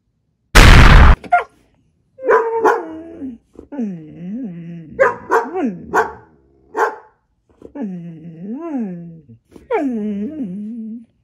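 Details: Siberian Husky Maya talking back to Alexa indoors: a sharp bang opens, then a run of yodelling, arched howl-like vocalizations rising and falling in pitch, some short and clipped, some drawn out, under light background music.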